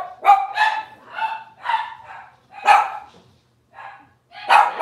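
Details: Cavalier King Charles Spaniel puppies from Robin's litter, watched on a kitchen livestream: high, tonal yelps and short barks with bright harmonics, about six separate bursts over five seconds, each sliding slightly in pitch, with quiet gaps between.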